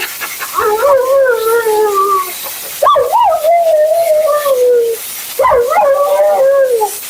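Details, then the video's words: Mila, a talkative female Siberian Husky at her second-ever groom, vocalizes during a bath: three long, drawn-out howl-like moans, each starting with a sharp rise then sliding slowly downward, separated by short pauses, with faint background hiss. "Talking Husky FURNADO Bath and Blowout"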